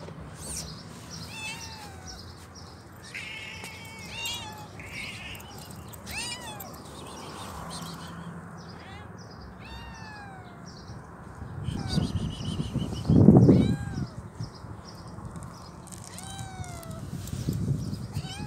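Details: Hungry stray kitten with both legs amputated and troubled eyes, meowing repeatedly: short, high, falling cries spaced a few seconds apart, with a loud thump and handling noise midway and low background hum.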